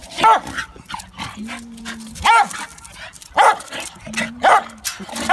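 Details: Happy dog at play, jumping: sharp barks in bursts of two or three, repeated every second or so, with a person's voice in between.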